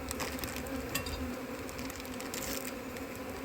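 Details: Honey bees at a nucleus hive, a colony from a split that was given feed, in a cold, difficult season for queen mating; a continuous low buzzing hum runs throughout, broken by scattered sharp clicks and taps.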